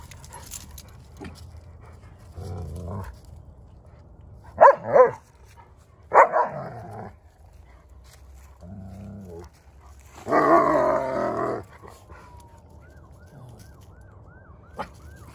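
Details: Odin the German Shepherd and little dog Bella teaming up to harass Samson the Boxer; scattered barks and yips come in short bursts separated by quiet gaps, with some growl-like low noise between them.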